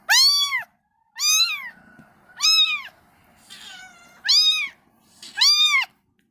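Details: Domestic cat, a mother cleaning her kittens, giving six loud arched meows in about six seconds, each rising then falling, spaced roughly a second apart with quiet gaps between.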